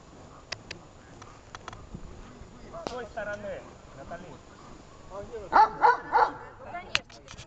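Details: Dog named Besser, rewarded during search training, gives three loud, sharp barks in quick succession near the end, after a stretch of human speech and scattered clicks, with a final single bark.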